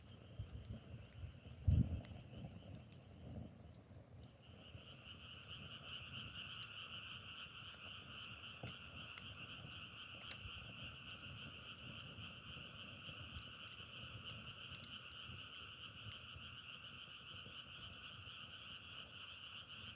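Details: The opening seconds carry low thumps and a sharp knock. Then a frog chorus swells in and holds as a steady two-pitched trill, with scattered crackling clicks over it.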